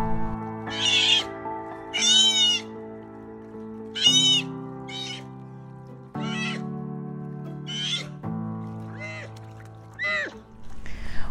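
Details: Juvenile sea otters give shrill, wavering "meep" cries like a baby's wail, distress-type calls made though not distressed, repeated every second or two over music; such pup calls attract predators.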